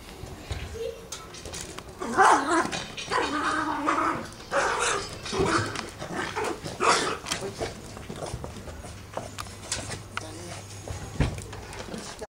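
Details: Angry poodle, upset at not being taken for a walk, keeps up rough, noisy grumbling and harsh barking bursts for several seconds, loudest in the first half, then fading into lower, scattered growls.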